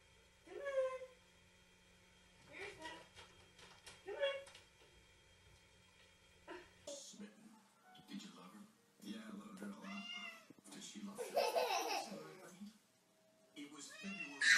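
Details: Domestic cat meowing in a funny cat compilation: short, rising-then-falling meows repeated about every one and a half seconds, then a louder stretch mixing further cat cries with human speech and background music.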